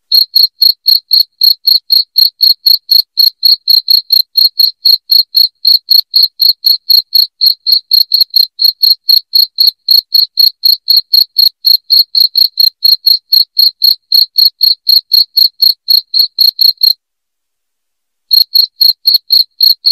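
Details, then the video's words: Cricket chirping used to scare rats away indoors: a long, regular series of bright, high chirps near four per second, stopping for just over a second near the end, then continuing. "SUARA JANGKRIK NYARING"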